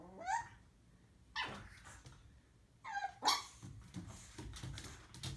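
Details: A female pug puppy on her first day home gives a few sharp, high yaps, each a quick rising bark spaced about a second apart, barking at her own reflection in a mirror.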